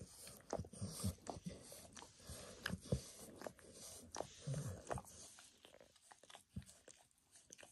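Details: Max, a pet dog, grooming himself indoors by licking his paws and a person's foot, shin and knee, with no talking; wet, irregular smacking and slurping clicks come in quick bursts, with short pauses between.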